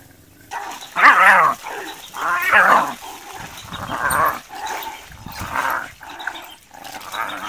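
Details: Wild dogs chase young hyenas away from their food. A steady series of quavering, mid-pitched wails repeats about every one and a half seconds, each call wavering up and down, with a few fainter yelps between.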